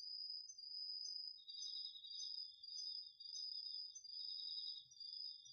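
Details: Night-time autumn insects including crickets in a Japanese home garden field, DR-40X recording: a high continuous trill with regular short accents, joined after a second by a lower steady pulsing trill.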